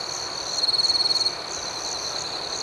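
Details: Night crickets form a high, ringing background chorus. Midway, one cricket delivers a rapid pulsed trill of around twenty quick beats lasting under a second, then the even chorus carries on.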